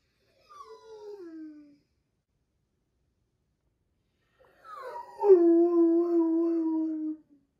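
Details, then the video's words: Big Doberman crying while its sister is in surgery, indoors: a short falling whine, a pause, then a longer tonal whimper-howl that sweeps down and holds steady. "Big Doberman crying while sister in surgery"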